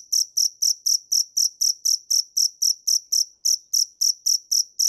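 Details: Dế mèn, a cricket, giving rapid, regular high chirps at roughly four per second, with one brief pause near the middle before the steady rhythm resumes; background otherwise silent.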